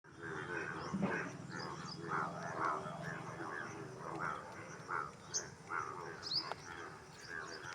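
A chorus of frogs gives short, rough croaking notes repeated many times a second, overlapping into a constant chatter. Brief high chirps, probably insects or birds, cut in now and then.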